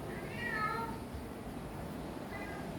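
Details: Domestic kitten meowing in answer to its owner's call indoors: one clear harmonic meow rising then falling early on, followed by a fainter, shorter mew near the end over quiet room hum.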